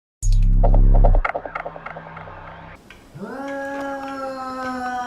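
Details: Domestic cat getting mad at a kitten, indoors: after a loud low burst and scattered clicks, a long drawn-out yowl starts low, rises, and holds a steady, strongly harmonic moaning tone to the end.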